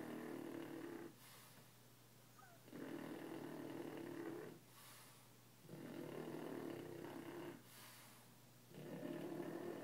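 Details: French Bulldog asleep and snoring, loud enough that its household needs a sound machine at night; three long rasping snores, each lasting about two seconds, separated by short quieter breaths.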